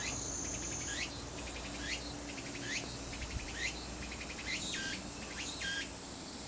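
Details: Singing tsukutsukuboshi cicada gives a clear run of repeated phrases, each a rapid pulsed ticking trill ending in a sharp upward-sweeping buzz, about every 0.8 seconds. A steady low hum sits underneath.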